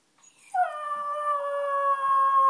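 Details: An 8-week-old Alaskan Malamute puppy gives a sustained, steady howl with a clear, slightly wavering tone.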